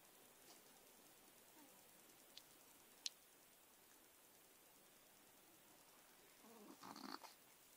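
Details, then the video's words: Persian cat Margot snorting while attacking pen and paper: a quiet stretch with a couple of faint ticks, then a rough, breathy snort lasting under a second close to the end. "Margot snorts & sniffles."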